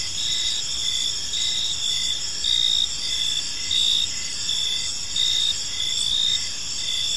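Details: Crickets chirping on an evening in a park: a steady high-pitched trill with pulsed chirps repeating about every half second, several insects overlapping in a continuous chorus, no other clear sounds.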